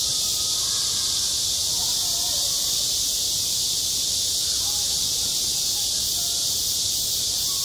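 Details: In midsummer on a school playground, cicadas keep up an unbroken, intense high buzz, with distant murmuring voices faintly heard underneath.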